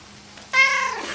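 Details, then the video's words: Domestic cat meowing indoors, shown as singing along with a person's song. A single drawn-out, nasal meow rises sharply, then slowly falls and fades over about half a second. "Кот поет песни"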